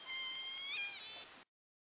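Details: A Southern Resident killer whale gives the S1 call, a call J pod likes to make: a nasal, whining tone rich in overtones, lasting about 1.5 seconds, steady, then kinking upward midway and levelling off before stopping abruptly.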